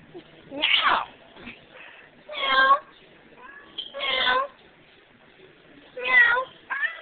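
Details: Emo, a female domestic cat, duets with her owner one last time before being given away. Four drawn-out meows, one rough and wavering, alternate with a human voice in a small room.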